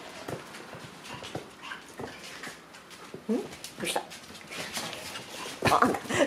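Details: Shiba Inu puppies, two months old and growing mischievous, at play indoors; scattered scuffles and clicks, then short whiny yelps and whimpers grow louder toward the end, with a voice speaking softly.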